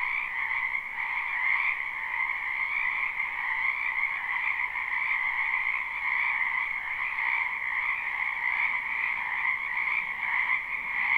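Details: Frogs croaking in a spring wetland behind a home, recorded live without loops. A thick, uninterrupted chorus of shrill trills rolls on evenly, with small ripples of intensity throughout.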